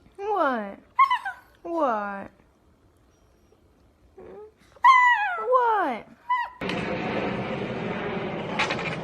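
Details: Puppy among golden retriever, husky and pomeranian pups, giving several drawn-out, harmonic, falling whine-howls in short bursts over about six seconds, with a person's voice, then a loud noisy rush at the end.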